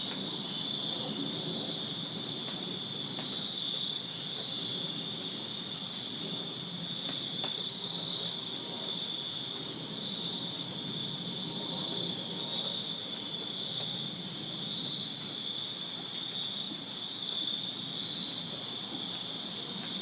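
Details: Backyard crickets in Virginia on a summer night produce a constant, piercing high-pitched chirping drone from many insects together, steady throughout, with light low background rumble and occasional faint ticks.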